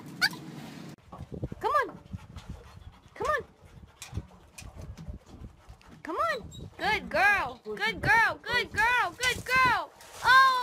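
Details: Dog in a funny pet compilation: a person talks briefly, then the dog lets out arched, whining yelps, scattered at first, then a quick run of about ten rising-and-falling whimpers.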